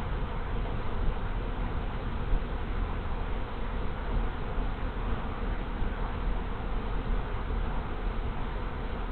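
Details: Honey bee swarm moving into an empty hive in late March after the previous colony died over winter; a dense, steady low hum of many wings with no breaks.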